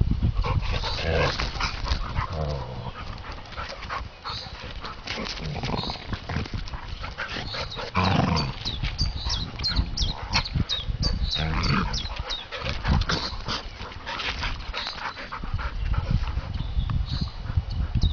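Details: Two dogs, Jess a golden retriever and Saffron a working retriever, play fighting in a garden after playing in the garden and woods: rough growls, snarls and scuffling bursts over a steady low rumble of handling or wind.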